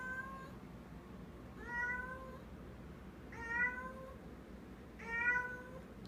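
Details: Female house cat with a new toy in her mouth, treating it as real, making strange muffled calls: three drawn-out, slightly rising meow-like cries about every one and a half seconds over faint room noise, a woman speaking softly afterward.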